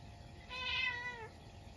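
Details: At midnight on a snowy day, a Munchkin cat indoors meows once when a stink bug gets into the house. The meow is drawn out and steady, then falls in pitch as it trails off, in a quiet room.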